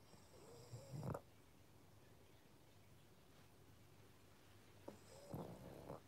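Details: Pug. A pug snores in its sleep, each breath a low, raspy rattle with a nasal whistle riding on top. Two snores come about four seconds apart, with quiet breathing between them.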